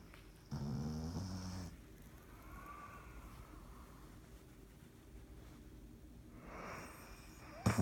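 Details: Dottie, a dog, snoring while asleep: a loud, low rumbling snore with harmonic buzz in the first two seconds, then quieter breathing and a rising, snuffling snore near the end.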